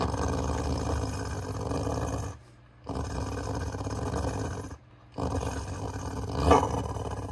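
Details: Continuous deep, rough growling from Beau, a pet dog doing his "let's get going" Chewbacca impression, in three stretches split by brief silent breaths.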